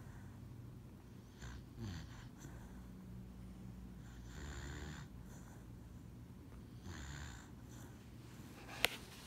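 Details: Dog named Lucybelle asleep on a lap, breathing in slow, soft snores indoors; airy, nasal inhalations repeat every two to three seconds with faint low rumbles between them, and a sharp click sounds near the end.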